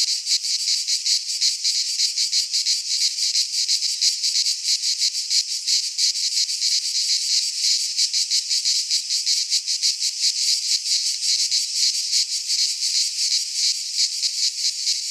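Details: Many cicadas sing together in a Greek pine forest during midsummer, a sustained piercing electric buzz throbbing in rapid even beats throughout, without birds, wind or voices.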